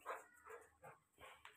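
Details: A Rottweiler gives a quick run of short, rough barks, about four or five in under two seconds.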